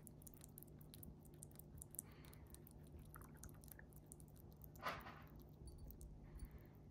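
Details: Small-animal jelly food being chewed by a chipmunk indoors. Soft, sticky smacking clicks come in quick bursts, with one louder squelch near the end and a faint constant hum underneath.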